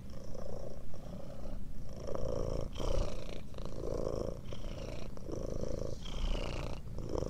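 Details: Domestic cat purring steadily for relaxation and sleep: a low continuous rumble in breathing-paced pulses, each inhale and exhale marked by brief breaks in the drone.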